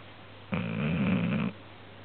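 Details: Marie the dog snoring loudly while asleep indoors: one deep, rough, rumbling breath lasting about a second, with a steady low hum in the background.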